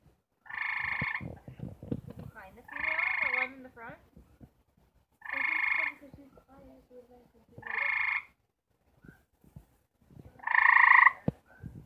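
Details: Four gray treefrogs trying to mate trade loud pulsed trills about every two seconds, five bursts in all, with softer wavering lower calls and clicks between them.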